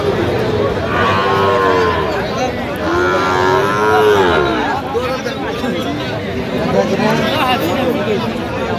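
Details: Sahiwal bull calf at a cattle market in Kurigram, Bangladesh, 20 January 2026: two long, drawn-out moos, the second bending upward then falling, over steady crowd chatter and bargaining voices.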